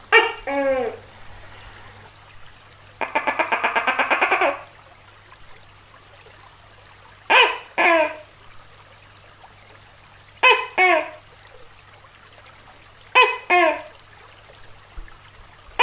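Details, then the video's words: Tokay gecko, described as giant: one two-syllable croak, a rapid rattling chuckle of about a second and a half, then three more paired 'tok-keh' calls, evenly spaced, over a soft hum. "Suara Tokek Raksasa | Big Gecko Sound"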